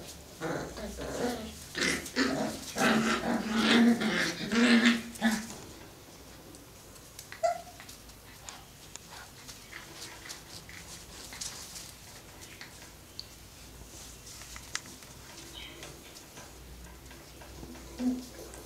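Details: Cocker Spaniel puppies, five weeks old, tussling in play: a lively burst of growls and yelps over the first five seconds, then mostly quiet with a single squeak and faint rustling.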